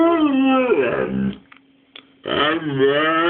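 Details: Dog named Spiczek, indoors in a small room, eager to go to Borys and Lady: two drawn-out, wavering whine-howls, pitch sliding up and down, split by a short quiet gap, with a faint steady hum behind.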